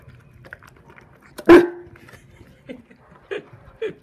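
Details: A Saint Bernard showing food aggression while eating chicken rice gives one loud, deep, abrupt bark, followed by a few short, softer grunting vocal bursts spaced about half a second apart in a quiet indoor space.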